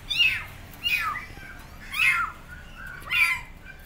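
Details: Loud calling from abandoned kittens on a gate seeking their mother cat: four shrill, strained meows spaced about a second apart.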